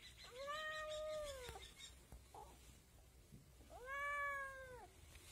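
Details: Kitten meowing: two drawn-out, slightly arched meows about three seconds apart, each around a second long with rich harmonics, a faint soft sound between them.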